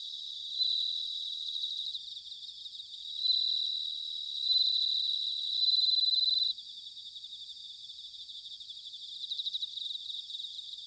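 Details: Bell cricket singing in autumn, recorded in Sanuki, Chiba, Japan, with a ZOOM H6 or TASCAM DR-05X: a dense high shimmering trill with louder ringing bell-like bursts swelling out of a steady chorus of other insects.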